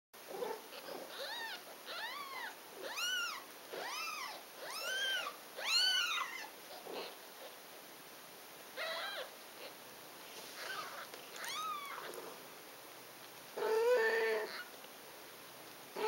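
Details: A litter of six five-day-old Ragdoll kittens gives thin, high, arching mews, several voices overlapping in short bursts.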